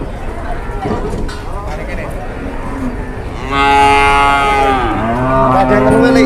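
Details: Cow in Indonesia that first collapsed suddenly and then turned aggressive. Low murmur and background noise for a few seconds, then a loud drawn-out moo lasting over a second, followed by a second rising, wavering moo.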